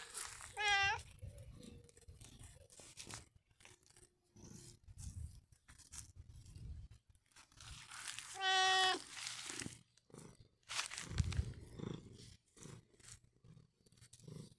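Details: Long John Whiskers, a pet cat, gives two short, bright harmonic meows, one near the start and another about eight seconds later, between soft rustling and handling noises.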